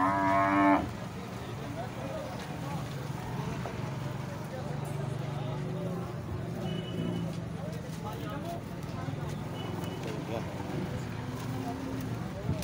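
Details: Sahiwal cows at a Pakistani cattle market, Muhammad pur mandi: a loud, rich moo opens the recording and breaks off within a second. Low, droning lowing and busy market chatter with traffic noise follow.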